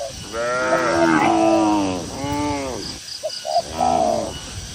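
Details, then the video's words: Cattle out grazing on green village pasture let out three successive moos, the first long and wavering, the next two shorter and arching; between them come brief dove coos and a thin, high bird twitter. "Suara Moo Moo Sapi Lembu yang Lucu di Tengah Ladang Hijau yang Sejuk"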